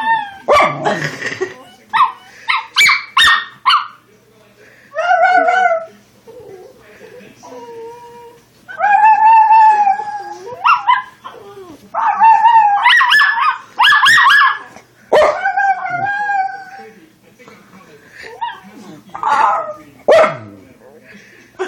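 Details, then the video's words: Young female Schnauzer singing along: a long run of yelps, wavering howled notes and sharp yips in irregular bursts, some notes held for over a second, with quiet gaps between. "Schnauzer Puppy won't stop singing"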